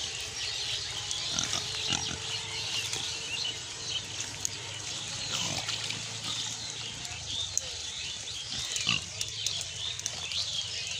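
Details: Farmed pig in Bangladesh grunting low and quietly, with a longer run of rumbling grunts midway and a few brief ones later. Constant high bird chatter and scattered clicks sit over it.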